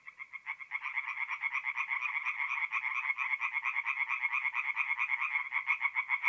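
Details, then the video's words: Tree frogs at a forest pond at night in mid April, North-East Italy: after a brief hesitant start, a loud rhythmic series of nasal rasping croaks builds, several frogs pulsing together at a quick steady pace. "relaxing forest pond by night with singing tree frogs"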